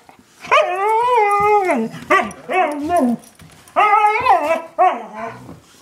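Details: Howling yowls from household dogs Chinook, a one-year-old husky, and Lola, an eight-year-old German shepherd mix: one long drawn-out wavering note, then several shorter rising-falling howls in quick succession.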